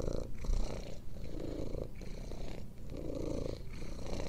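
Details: Purring domestic cat, offered as therapeutic; low vibrating rumble in rhythmic bursts linked to breathing, each phase lasting about a second, close and steady with nothing else audible.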